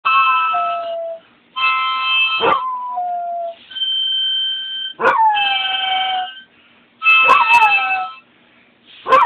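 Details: Basset Hound singing: long drawn-out howls that bend downward in pitch, several in a row separated by short pauses, set against steady held higher tones throughout.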